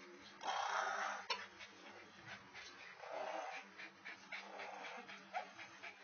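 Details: Great Dane under sexual harassment, giving low tonal whining and growly grumbles in uneven bursts, with breathy noise swelling and fading across a few seconds.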